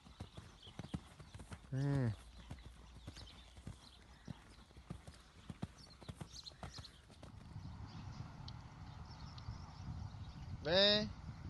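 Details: Lusitano horse giving two short, harmonic-rich calls, one near the start and one near the end, over scattered hoof clicks and knocking, with brief human speech nearby.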